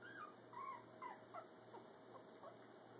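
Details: Brussels Griffon puppy Gus, taking his first steps while parents Oscar and Athena look on, gives a run of thin high whimpers and squeaks, short rising-falling whines about three per second, fading toward the end over a steady indoor hum.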